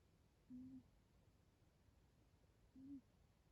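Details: Pet cat named Angelo snoring while asleep, two soft low hum-like snores about two seconds apart, each lasting under half a second, in a quiet room.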